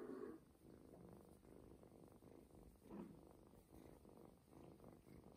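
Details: Ginger kitten purring contentedly while receiving a stomach massage indoors; quiet even low purr throughout, with a few light touches and rustles.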